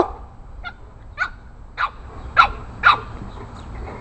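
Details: Rocky, an 8-week-old Boston Terrier puppy, takes on bigger neighborhood dogs. He gives five sharp, high yapping barks about every half second, each louder than the last, over a low rumbling background.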